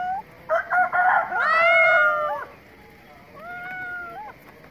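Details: Kittens meowing: a loud, drawn-out, arching meow rises and then falls over about a second, followed by a quieter, similar meow, with faint background noise.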